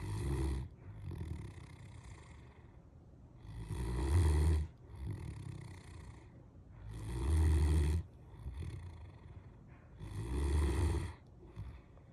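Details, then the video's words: A Great Dane named Molly snores deeply, with rumbling, throaty breaths repeating every three seconds or so. "Snoring Great Dane Molly"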